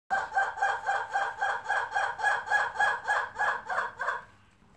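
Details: Lemurs making noise: a fast, rhythmic series of about thirteen nasal, honking pulses, roughly three per second, holding steady in pitch for four seconds before stopping abruptly.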